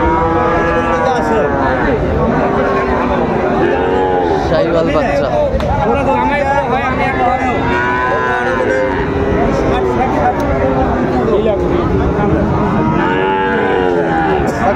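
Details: Sahiwal bull at a busy cattle market in Comilla, Bangladesh, on 3 October 2024, with a farmer buying. Drawn-out arching moos rise and fall near four, eight and thirteen seconds over steady crowd chatter and bargaining voices.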